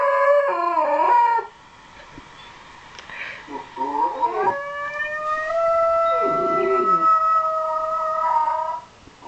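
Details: Shetland Sheepdog named Miko howling along after hearing a recording of his own howl; long sustained tonal howls with wavering, rising starts and a brief pause, then one steady drawn-out note.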